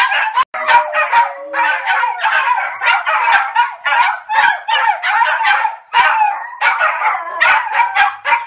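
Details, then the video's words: Three Maltese dogs bark together at full force in a rapid, high-pitched, continuous chorus. "マルチーズ 犬 鳴き声 三匹で全力で吠える Funny Dog Maltese Bark 3"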